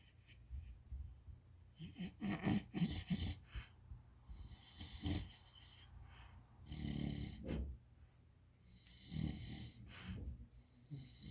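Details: English bulldog puppy snoring in its sleep while dreaming, heard indoors: a run of uneven, gurgling snorts and rough breaths, clustered early and then spaced every two seconds or so, low and throaty with airy hiss above.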